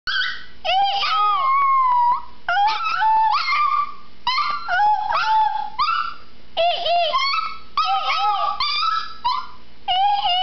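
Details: Chihuahua (Canis familiaris), howl: imitating its owner's monkey-like noises.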